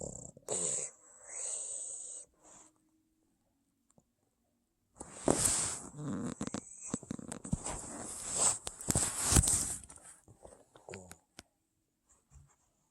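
A Boston Terrier snores in its sleep, with raspy, wheezy breaths broken by short pauses.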